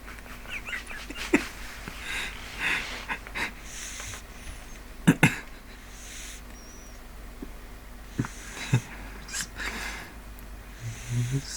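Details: Neil, a pet pug, snoring while asleep indoors: soft wheezy, hissing breaths come in irregular bursts, with sharp clicks and snuffles between them in a quiet small room.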